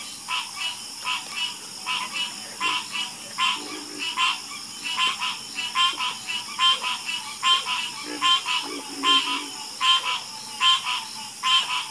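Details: Frogs croaking in a harmonious chorus, regular ratcheting calls repeating about every second, with a few lower grunting croaks and a faint high hiss.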